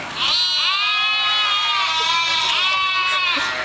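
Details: Domestic sheep, a ewe in front and small lambs in the back, travelling along the E134 road and calling to each other. Long, loud, wavering bleats overlap almost without a break, with a steady low rumble beneath.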